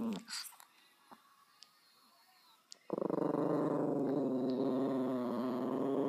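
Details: After a quiet start with a short high squeak and faint ticks, Bowie, a dog, breaks into a loud, continuous, gravelly growl that buzzes with fast regular pulses until the end.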